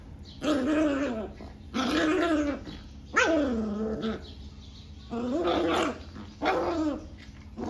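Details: Forty-day-old Rottweiler puppy acting aggressive after a bath, giving rough, throaty growling barks about a second long, five bursts in under eight seconds, each harsh and noisy with a falling tone, over a low background hum.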